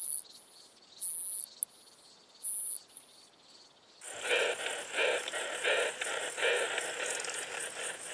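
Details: Short-tailed plump bush-cricket, Isophya brevicauda, in Muhrtal, Austria, 24 July 2022, heard through an ultrasound detector; three high, thin buzzy bursts over the first four seconds, then a loud pulsing, lower converted detector rendering of the song.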